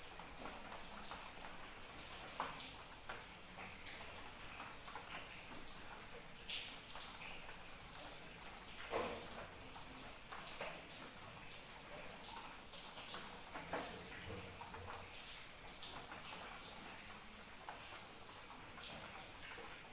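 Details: High, constant cricket trill with fine rapid pulses sounding over steady light rain, irregular drops tapping nearby throughout.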